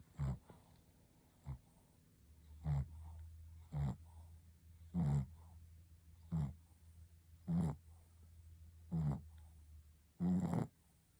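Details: Shih Tzu named Ponta snoring while asleep: short rough snorts recur about every one to one and a half seconds, each a brief burst of low rasping breath, with a steady low hum running beneath the middle of the recording.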